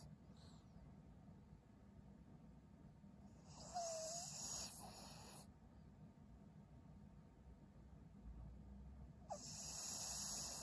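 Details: Maria the elderly Pug, a fawn female of 12 in Japan, recorded February 18, 2023: two hissing breaths about six seconds apart, the first with a brief squeaky whistle, separated by quiet low room rumble.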